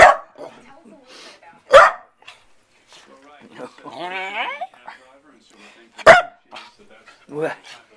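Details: Corgi barking in reaction to its owner sneezing indoors: three sharp, loud barks, separated by a wavering, whine-like voiced sound and a woman's chatter.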